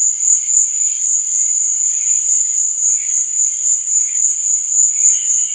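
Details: Nighttime crickets keep up a bright, unbroken high trill, while quieter lower chirps pulse irregularly beneath it, with a clearer short chirp near the end.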